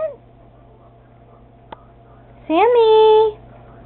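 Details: A single long meow from Sammy, a pet cat that flushes the toilet at home, rising quickly then held steady for nearly a second, after a short quiet stretch with faint room noise.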